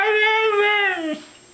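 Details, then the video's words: Female Siberian Husky Mishka, at home and coaxed to say 'I love you', gives a steady, tonal, rich-harmonic note held for about a second before sliding downward and cutting off; a room echo follows. "Husky Dog Talking - " I love you ""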